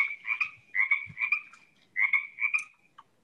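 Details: Male Pacific tree frog, the most common frog in the area, played back from a recording: paired raspy croaks, two quick pairs, a pause, then another pair near the end, clear over a quiet background.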